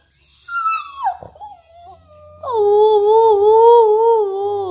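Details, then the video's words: Chesapeake Bay Retriever puppy 'talking': a high, sliding whimper drops away, then a long, steady, moaning howl with a slight wobble holds to the end, indoors. "Cute puppy talking | funny puppy talking | Chesapeake bay retriever"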